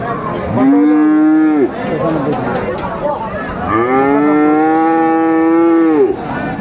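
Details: Friesian or crossbred bull calf at Aftabganj market, Dinajpur, Bangladesh, 24 April 2024. Two clear, strongly harmonic moos: a short one of about a second, then a long, level bellow lasting over two seconds, with faint voices behind.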